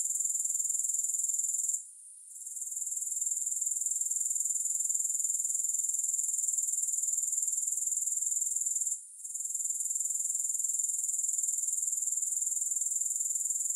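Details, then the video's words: Shrill, unbroken high-pitched chirring of grasshoppers with a regular pulse near four per second, interrupted by two momentary silences; nothing else audible. "3 Hours of Grass Hopper Sounds"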